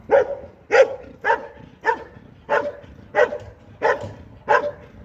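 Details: Belgian Malinois barking during an IPG 2 regional trial at Sin-le-Noble, France, in 2023: eight forceful, evenly spaced barks, each a short punchy burst, repeated about every two-thirds of a second.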